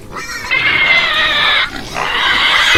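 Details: A pig squealing: two long, loud, harsh high-pitched squeals, the first about a second long, the second starting after a brief pause.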